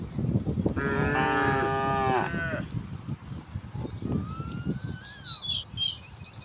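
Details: One cow from a herd heading to green grazing fields in the morning gives a single long moo, then rustling movement while small birds twitter high and a thin rising whistle sounds.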